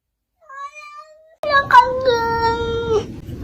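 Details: A cat gives a short soft mew, then a long drawn-out, slightly falling meow lasting over a second, clear and tonal, in a small indoor space with people talking around it.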